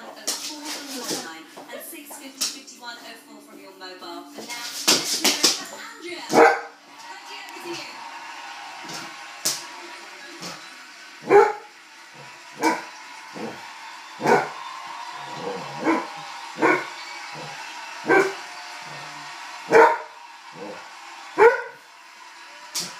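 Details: Irish Setter, a red setter, barking at a balloon: a series of short sharp barks spaced a second or two apart, with people talking over the opening seconds.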